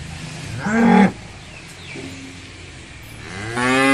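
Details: Cattle mooing: a short loud harmonic moo around the one-second mark, then quiet, and a second moo beginning near the end of the clip, each with strong rich overtones.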